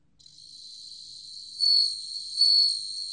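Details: Bell cricket recorded by the National Institute of Biological Resources in 2020: a steady, high, bell-like ringing trill fades in and swells twice in loudness over three seconds, with faint low tones beneath.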